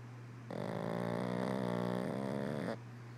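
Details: Pug sleeping with eyes open gives one sustained rattling snore lasting a little over two seconds, rough and buzzy with a fluttering texture, starting and stopping abruptly over a constant low hum in a quiet room.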